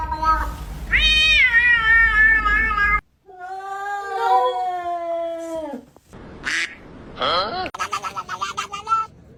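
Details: Domestic cat with a run of loud, drawn-out meows. The first is high and strained, the second lower and sliding down at its end, followed by short squeaky chirping calls.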